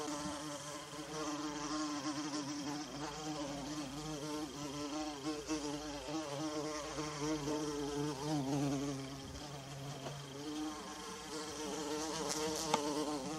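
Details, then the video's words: Forest bumblebee near wild violas gives a continuous deep drone, its pitch gently wobbling up and down, fairly even in loudness throughout, with soft high hiss behind and a brief click near the end. "Bumblebee Buzzing"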